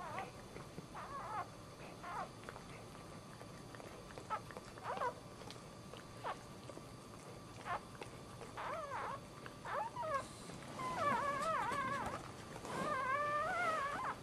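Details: Whimpering dog giving birth while standing at home, starting with short, soft squeaks spaced irregularly, then building into louder, wavering, drawn-out whines during the last few seconds, against quiet indoor background noise.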